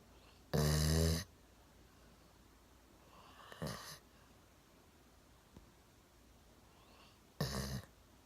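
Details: One-year-old Golden Retriever Milo sound asleep on a sofa, chin on a table, snoring: a strong harsh snore, a fainter breathy one mid-way, then another rough snore near the end, with quiet gaps between.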